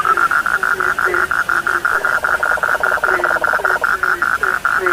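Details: Frogs calling at night, a dense chorus of rapid pulsed notes repeated several times a second, with a lower croaking note recurring beneath.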